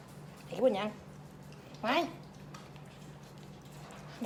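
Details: Pembroke Welsh Corgi puppies, a litter at a kennel farm in Om Noi, Samut Sakhon, Thailand, give two wavering, whiny yelps about a second apart over a steady low background hum.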